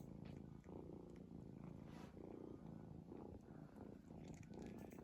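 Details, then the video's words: Sleeping cat snores in deep, raspy rumbles, each inhale and exhale forming a swell of about a second, steady and unbroken throughout. "cat snoring"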